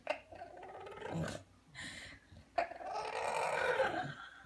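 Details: Strange vocal noises from a bulldog, given as short grumbling groans separated by brief pauses, ending in a longer, rising and falling throaty moan.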